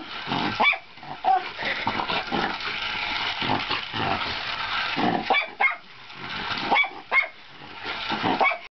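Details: A Miniature Schnauzer chasing a toy car gives sharp, high barks in scattered bursts over the car's steady mechanical whir.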